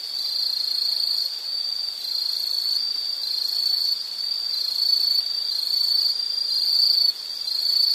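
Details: Insect chorus offered as calming background nature sound: an unbroken shrill, high ringing drone with slight wavering pulses, briefly dipping in loudness near the end, over soft hiss.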